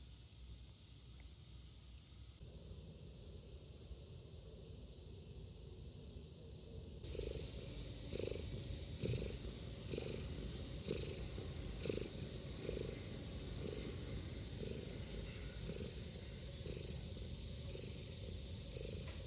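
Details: A community cat, content after sneezing, purrs with a steady, low rumble.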